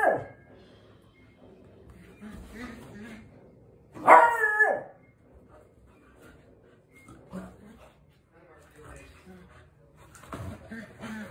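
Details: Beagle puppy playing with its dad lets out a single loud, falling yelp among soft human voices and faint rustling.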